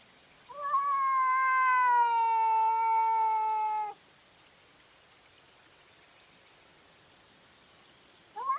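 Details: Cat caught on a trail camera at night during a fight: one long drawn-out wailing yowl lasting about three and a half seconds, harmonic and slowly falling in pitch, then silence until a new rising wail starts at the end.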